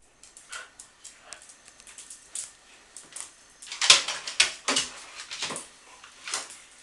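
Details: Coco and Som, two dogs playing together indoors in the office of Phuket Dog Resort: short, sharp, bright bursts and brief yips come in irregular clusters, louder and denser in the second half, in a small quiet room.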